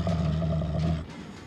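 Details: Dominance growl of a Canadian wolf on his birthday, 16 April: one steady, deep, strongly toned rumble lasting about a second, then quickly dying away into quiet background.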